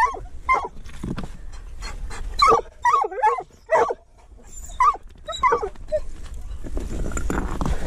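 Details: Mink hunting with a treeing walker coonhound and a dachshund. Excited yelping barks come roughly every half second to second, some wavering and whiny, over low background rumble and a hiss building near the end.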